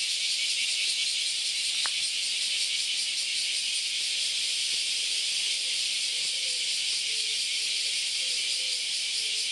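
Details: A steady, shrill wall of cicada sound on Kyoto's Philosophy Path, one August Sunday morning, with many cicadas calling at once. A single sharp click near the start and faint low tones in the background.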